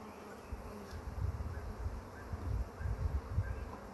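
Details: Honey bee swarm being caught, the first swarm of the year; a low, dense, continuous buzzing hum with pulsing loudness throughout.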